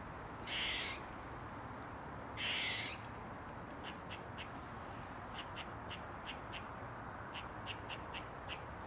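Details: An Eastern gray squirrel perched on a mushroom gives two harsh, raspy barks, then a run of short, sharp chucks.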